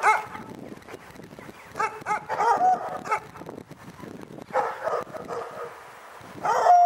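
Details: Dog barking in scattered short bursts, some with a brief high whine, separated by quieter gaps with low background rumble.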